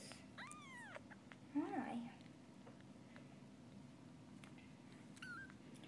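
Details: Sphynx kitten from a cattery litter of hairless Sphynx and short-legged Bambino kittens, indoors; a thin, high meow rises and falls twice early on, then soft human speech and a faint squeak later.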